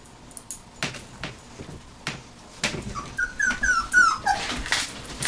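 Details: Puppies 19 days old giving a few high, short whimpering squeaks around the middle of the clip, with soft thumps and rustling between them.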